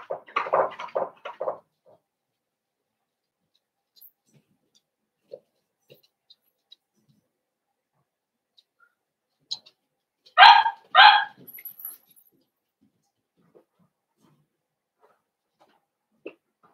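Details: A litter of five Blenheim Cavalier King Charles Spaniel puppies in an indoor puppy pen; a burst of squeaky yelps opens, then two short high squeals come close together later, with a quiet room in between.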